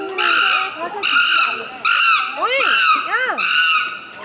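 An excited chimpanzee gives loud, shrill screams in a rapid series of harsh, high bursts.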